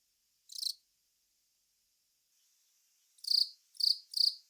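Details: Long-beaked cricket Velarifictous aspersus singing: one short buzzy chirp, a pause of over two seconds, then three chirps in quick succession, each a brief scratchy pulse of high pitch, with a faint hiss between.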